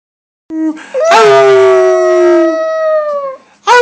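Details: Pet dog howling to show off her voice: one long, steady harmonic howl held about two seconds, starting with a short lower note and ending as a fresh howl begins.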